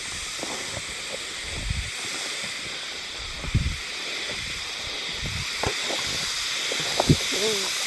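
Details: Hime-harusemi cicadas, heard only, 19 July 2022 in Yamaguchi Prefecture, Japan: a dense, even high buzzing chorus over which several short low thumps and faint brief tonal sounds occur.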